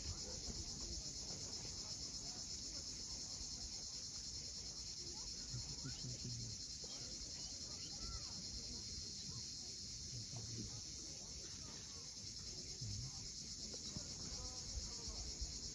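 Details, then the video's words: Sunset on the steep coast of Cape Fiolent, Crimea, filled with a constant shrill cicada buzz that never pauses, backed by the steady low wash of waves. "Cicadas at sunset."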